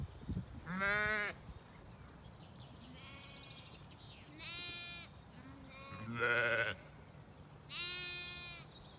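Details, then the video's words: Zwartbles lambs playing and exploring while their mothers feed at dawn on an Irish farm in County Kilkenny; four or five bright, tremulous bleats of varying pitch, roughly every one to two seconds, with faint field ambience between. "This morning's breakfast with lambs"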